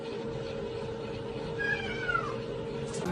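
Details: A domestic cat gives a single short meow that slides downward in pitch midway through, over a steady low electrical hum and faint room noise.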